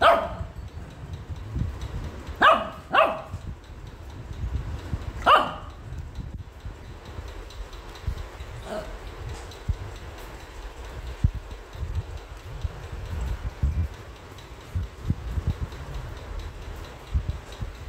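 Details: An angry Shih Tzu puppy, which hates being combed after a bath, gives a few sharp, high barks, spaced irregularly over low handling noise during grooming.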